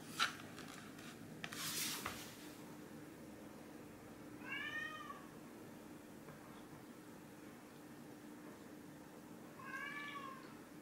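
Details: Orange tabby cat named Chai playing a shell game for treats at home, giving two short arched meows about five seconds apart after a burst of rustling and clatter, with a faint steady hum underneath.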